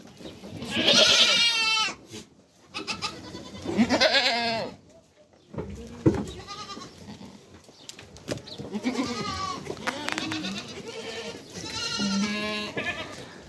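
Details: Goats, a mother and her kids, calling: several separate quavering bleats, loud at first and then softer and lower, spaced with gaps of quiet and light scuffling noises.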